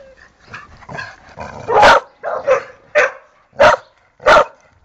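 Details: Barking from Pantera, a female dog nicknamed Tera: five sharp, loud barks spaced roughly half a second to a second apart, preceded by softer mixed sounds, while a woman's voice asks in Spanish what is going on.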